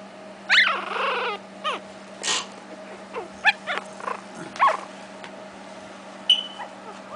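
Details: Seven 3-week-old Shih Tzu puppies give high, squeaky whimpers and yelps in short bursts.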